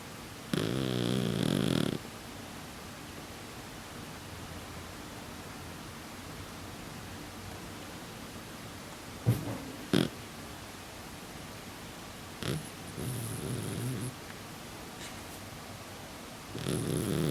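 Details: Exotic Shorthair Pukutan, a flat-faced cat that always snores in sleep, gives slow, low, buzzing snores spaced far apart, with a few faint clicks and a softer snore in the long quiet stretch between them.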